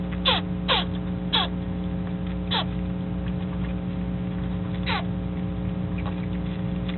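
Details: Virginia opossum pouch babies, old enough to begin leaving and re-entering the pouch, give short sneezy, downward-sweeping barking calls to keep contact with their mother, over a steady electrical hum.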